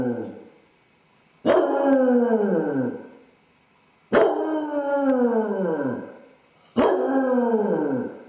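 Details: Home-alone basset hound Dodger, suffering separation anxiety while his owners are out; three mournful baying howls at intervals of roughly two to three seconds, each a hard onset that drops and trails off in pitch.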